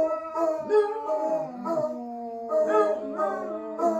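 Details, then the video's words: Several dogs howling together, worked up for no clear reason; overlapping sustained tonal howls with rich harmonics, wavering and sliding, some voices dipping low then rising, continuous chorus over four seconds. "The Howling"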